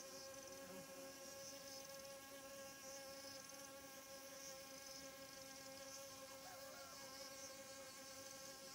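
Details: Morning squash blossoms visited by pollen-gathering honey bees that scattered when a hornet came; continuous buzzing drone with stacked steady tones and slight wavering, no other clear sounds.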